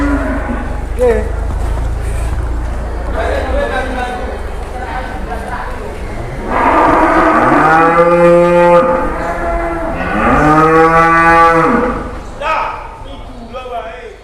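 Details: Two truckloads of cattle arriving in Indonesia, one carrying a huge animal; after noisy rumbling and chatter, two drawn-out, resonant moos follow one another, each rising slightly and lasting about two seconds.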